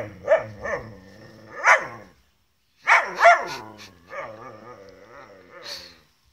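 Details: Gerberian Shepsky trying to coax his collie cross German Shepherd sister into play while she refuses; short yowling barks and drawn-out, warbling moans come in two groups, with a faint person's voice.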